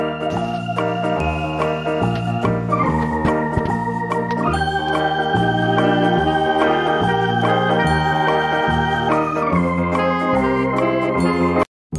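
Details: Electronic organ music plays throughout with a steady bass line, ending in a sudden cut to silence; no animal voices heard.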